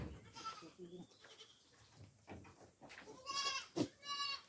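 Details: Farm goats being given coconut pulp; soft murmurs and speech early on, then two strained, quavering bleats near the end, each short and trembling.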